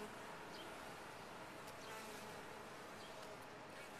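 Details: Short burst of honey bees humming in a top-bar hive, a constant dense buzz with a few faint high ticks.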